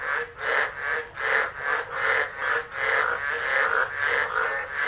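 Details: Storm-season frogs singing at Driver, Northern Territory, Australia, 13 December 2013, via a phone left running. Swelling, raspy croaks roll in overlapping waves about twice per second.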